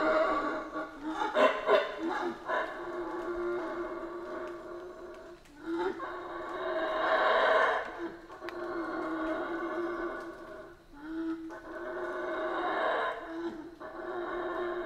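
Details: Howler monkeys in a Central American rainforest: continuous deep, rasping roars with rich layered harmonics, swelling and fading in long waves, with brief dips near six and eleven seconds before the chorus builds again.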